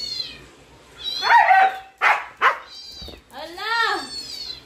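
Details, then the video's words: Siberian Husky reacting to dog sounds indoors: harmonic whining wails rising and falling, broken by two sharp bark-like bursts near the middle, ending in a long arching howl-like whine; a few quiet words of speech. "my husky sounds reaction"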